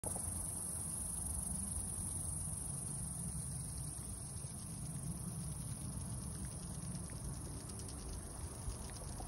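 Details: Cicadas in Red Canyon, Utah, sing a steady, very high-pitched buzz that never breaks, over a low rumble of wind.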